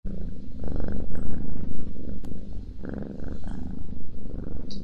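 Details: Domestic cat purring and snoring while eating, recorded close up indoors for ASMR; deep rumbling purr pulsing in steady waves, with moist chewing and lapping bursts between.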